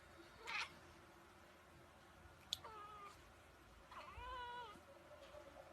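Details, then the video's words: Pet cat giving two soft meows a second apart, each sliding up and then down in a bent, whining tone, with a faint click and thump between them in a quiet indoor room. "Linking Cats meowing sound effect"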